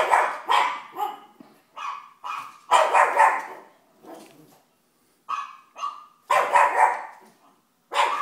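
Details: Female pug puppy watching her favourite television show, giving a run of short, high yappy barks in uneven bursts, mixed with brief whining tones and a few seconds of quiet.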